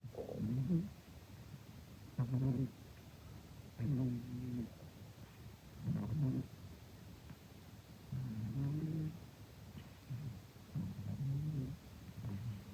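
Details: Domestic cat about to turn fifteen snoring while napping: six low, rumbling snores roughly every two seconds, each a short rasping burst with quiet pauses between, in an otherwise still room.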